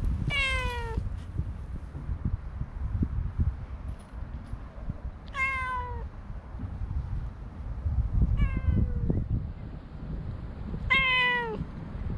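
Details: Four loud, drawn-out meows from stray cats met on a walking path, each bright at the start and sliding downward, separated by several seconds of quieter outdoor hum and light tapping sounds.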